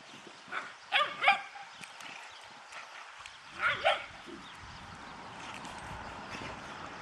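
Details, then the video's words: Dobermann puppy named Vega, left out and not allowed to join the big female dogs, gives two pairs of short, sharp yelping barks around the first and fourth seconds, then quieter whines over a faint background hum. "Dobermannvalp får inte vara med"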